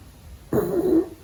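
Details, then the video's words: Little pug puppy asleep indoors during the day, giving one raspy, nasal snore lasting about half a second that starts abruptly and holds a steady buzzing tone before cutting off; quiet room otherwise. "Funny Sleeping Snoring Dog Video"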